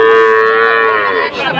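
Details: Loud sustained moo from Friesian or crossbred heifer calves at a Dhaka cattle market, Bangladesh, 12 August 2024; a steady, rich harmonic tone holds for over a second, then bends downward and fades as market noise returns.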